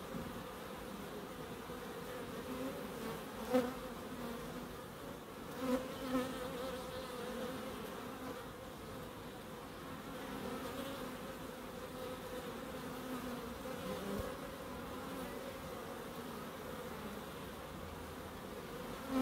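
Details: Bees droning in a small wildlife garden in Crookes, the hum steady and even, with a few short louder bursts as individual bees pass near the microphone.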